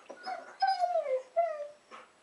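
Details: Pet husky indoors, wanting to play with a rabbit, gives drawn-out, sliding whines: a long falling wail, a shorter descending cry, then a faint yip, with quiet gaps between.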